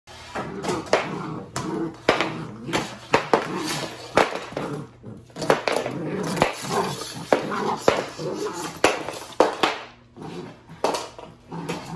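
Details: Living room noise: repeated knocks and clatter as a broom is dragged around indoors, with people talking through most of it and no animal voice.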